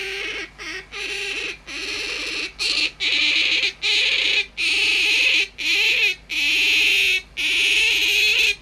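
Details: Tame pet otter squeaking like an alarm clock: loud, shrill squealing bursts, each lasting under a second, repeated roughly once a second in a steady insistent series, with brief silent gaps between them and a faint low hum behind.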